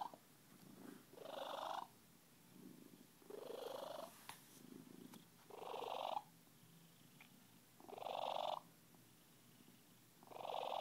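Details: Purring of Miranda, a Siamese cat described as very happy: rough, rasping bursts that rise and fall with each breath, roughly every two seconds, steady and close, with no other sounds.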